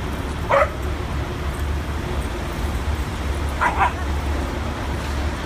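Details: Two adopted dogs playing at a New York City park for the first time; a single high, bright yip is followed by another roughly three seconds later, both set against heavy, steady city traffic noise.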